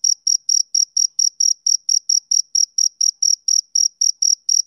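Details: Shrill, regular chirps from a male cricket, about four short ringing pulses each second, continuing without pause over a quiet background.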